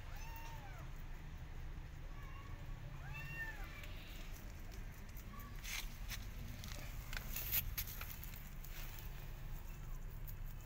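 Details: Persian cat and her adopted kittens in a garden watching rabbits; a few short, thin arched meows in the first half, then only low outdoor rumble and scattered soft knocks.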